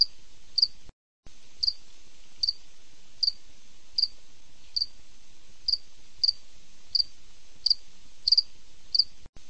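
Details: High, clipped cricket chirps at night, repeated at a steady pace, around a dozen in a row with two short silent breaks and a faint hiss beneath.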